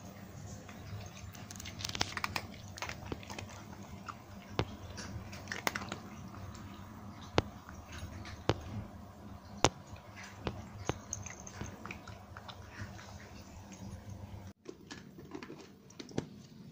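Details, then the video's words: Nine cats in Portugal at breakfast and snack time crunching dry food: dense, irregular bursts of sharp crisp crunches and bites over a steady low room hum, easing off briefly near the end. "[猫が食べる音] SUARA KUCING MAKAN Cats Crunchy Eating Sounds | Cats Eating Dry Foods"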